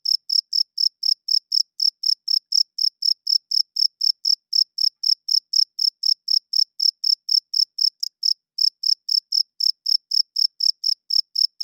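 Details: Night-time chirping of a male cricket calling for females and marking territory by rubbing its wings; bright, high chirps pulse steadily about four each second, with one short break past the eighth second, nothing else audible.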